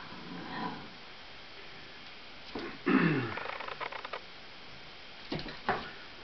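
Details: Eight-week-old Lab cross Australian Blue Heeler puppy, afraid of balloons, barking at them indoors: a faint call early, then a sharp yelping bark burst near three seconds with a short trailing series, and two more short barks near the end.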